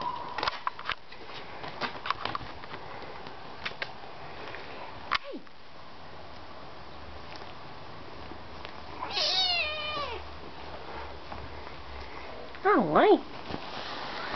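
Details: Siamese lynx cat giving two meows: a falling, harmonic-rich meow around the middle, then a louder, wavering meow near the end, with scattered clicks and room noise earlier.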